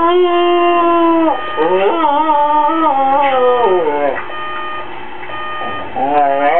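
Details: Howling female dog reacting to a hated alarm clock; drawn-out quavering tones that dip and climb, softening toward the middle before a renewed rising howl, with a thin steady high tone running underneath.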